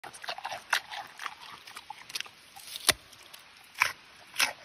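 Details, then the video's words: Giant panda eating: scattered crisp crunches and sharp bites, a few louder snaps spaced about a second apart, with soft chewing between them in a quiet setting. "Panda XiaoXin Mukbang Eating Sounds"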